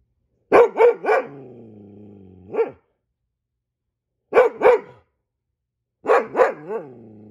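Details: Goldendoodle barking like a guard dog at the sight of squirrels: quick bursts of three loud barks, a lingering tonal whine trailing off after the first burst, then more triple barks after a silent gap.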